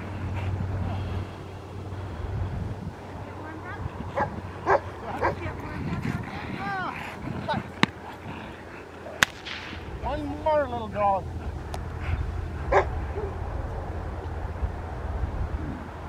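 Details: A female Rottweiler in Schutzhund protection training with a helper gives deep, harsh barks in short bursts between stretches of human talk.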